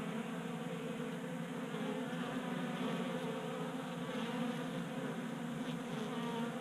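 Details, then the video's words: Several honey bees crowd a 3D printed feeder on a garage workbench in Colorado, active in 60-degree January warmth. Their wingbeats form a continuous, even buzzing drone with faint shifting tones above it. "Honey Bees Feasting from 3D Printed Bee Feeder"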